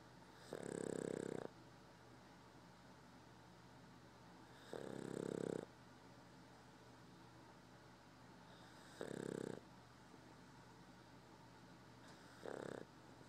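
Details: A sleeping Boston Terrier snores in slow, rasping breaths, each lasting about a second and spaced several seconds apart.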